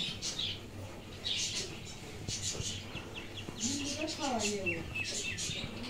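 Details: Kittens give a faint early cry, then a clearer run of two or three sliding mews that rise and fall in the back half. Soft crackling noise and a constant low hum run throughout.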